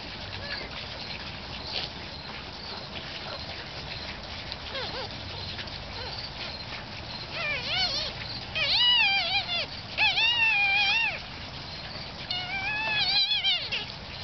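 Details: Quiet at first, then a one-week-old cleft-palate puppy named Harry breaks into clusters of short, high squeaks and wavering whines, rising and falling in pitch, in the second half.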